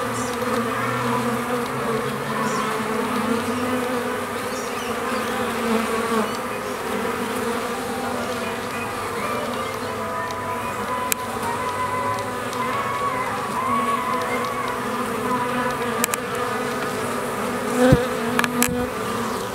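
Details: Colony of stingless bees settled into a new hive a week earlier, with new comb built; continuous low buzzing drone throughout, even in loudness, broken only by a few brief knocks near the end.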